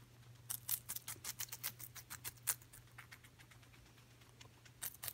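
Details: Coco the guinea pig eating celery: a quick run of crisp, dry crunching clicks over about two seconds, a pause, then a few more bites at the end, all over a steady low electrical hum.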